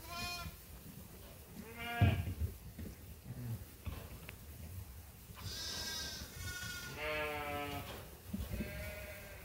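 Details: Sheep and lambs at feeding time on Ewetopia Farms, several short harmonic bleats from different animals, some high and quavering, mixed with heavy low thumping and rustling noise.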